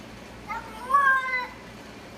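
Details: A cat making a weird noise: one drawn-out, harmonic meow that swells and then falls away over about a second, with a low steady hum underneath.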